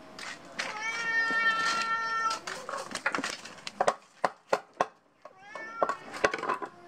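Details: Pet cat gives one long, steady meow lasting nearly two seconds, then a run of sharp taps and clicks, then a shorter, fainter meow near the end.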